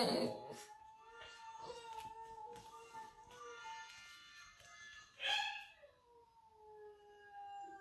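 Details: A Boxer puppy howls along to a video of another puppy howling playing in the background, his long, wavering, drawn-out notes sliding gently downward.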